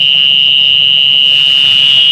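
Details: A mole cricket sings a steady, unbroken high buzz that holds one pitch throughout, in a valley ravine near the Banyusumurup burial complex, close to a mosque.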